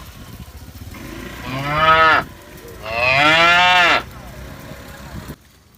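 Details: A tame, healthy cow following the herd after green grass gives two drawn-out moos, the second longer and louder.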